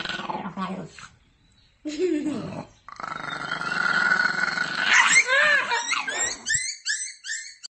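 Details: Dog indoors, a short falling yelp, then a long steady whining howl, ending in a run of quick high squeaky yips, with people talking over it.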